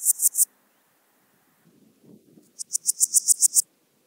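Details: Wildhaus, Switzerland, October: a Swiss gold grasshopper gives a brief high scratchy burst, a faint low rustle follows, then a second-long train of about nine distinct, swelling hissing pulses.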